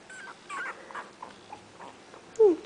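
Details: Twenty-day-old puppies, one of five in Bitsy's litter, poking around while waiting for their mother to feed them indoors; soft scattered whimpers and squeaks, ending in a louder high descending whine near the close.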